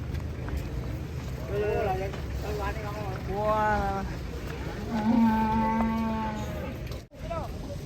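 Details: Raging cattle coming down from a truck in Indonesia give a series of drawn-out, harmonic-rich moos, some short and some long and level, over steady low rumbling, with people talking nearby.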